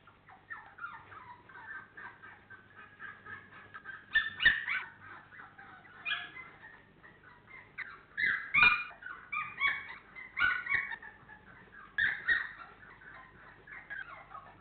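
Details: Labrador Retriever puppies at 28 days old, FCI registered, from the Honey Hany litter, whimpering and yipping almost nonstop. High, quavering cries overlap and swell into louder clusters every second or two.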